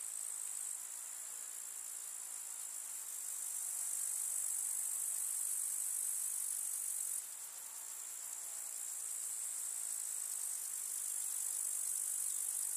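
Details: Summer meadow grasshoppers chirping in the countryside: an even, sizzling high trill fills the whole stretch, rising slightly in strength midway, with one sudden drop and recovery.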